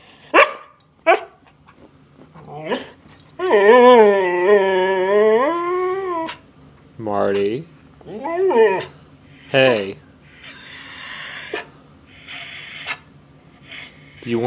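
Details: Siberian Husky indoors throwing a fit over food: long sustained wavering howl-whine of nearly three seconds, followed by shorter whining yowls and yips, mixed with a person talking to the dog.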